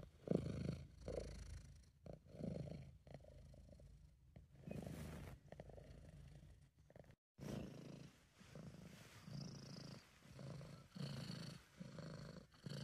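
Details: Deep, rolling purr from a relaxed, happy British Shorthair cat, pulsing in breath-length swells with brief pauses between, a short silent dropout midway, recorded up close.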